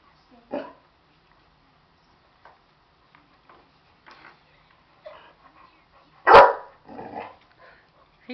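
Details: Buddy, a pet dog agitated at a stuffed animal, gives one loud sharp bark among scattered soft yips and snuffling sounds, with brief quiet speech in the room.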